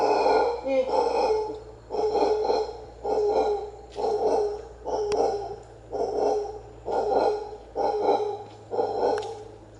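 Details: Howler monkeys calling in the wild at the Maya ruins of Comalcalco, Mexico: a steady series of deep, rasping roars, each pulse about a second long and repeated roughly once per second, over a constant low background hum.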